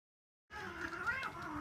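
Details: Cat at the Tokyo Cat Guardian rescue shelter, chattering as it runs over to slap. A single drawn-out, voiced call with a wavering, slightly rising and falling pitch lasts about one second against a quiet indoor background.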